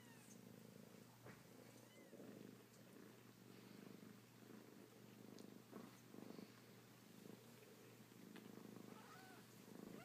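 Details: Kittens purring: a continuous low rhythmic rumble in pulsing bursts, with a couple of faint brief mews and light rustling over a background hum.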